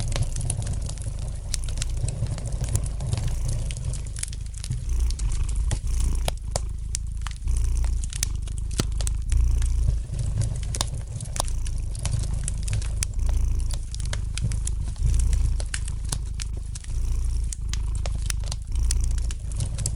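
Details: Gentle purring of a domestic cat as a continuous low rumble with softer breath swells, nearly buried under dense, lively crackling and snapping from a fire in the fireplace.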